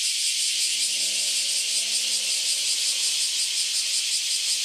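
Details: Recently emerged cicadas, after some ten years underground, sing in a loud group chorus before departing; intense high sizzling drone with quick pulsing, plus a faint low hum early on.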